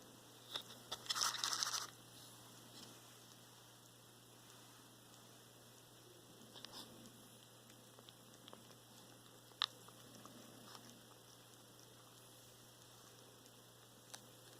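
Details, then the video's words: Male pet cat that is losing weight and eating too little, making strange noises while chewing despite a dental cleaning and normal blood tests: a short burst of crunching and scraping early on, then sparse clicks and soft chewing in a quiet room with a steady hum. "Cat eating noises."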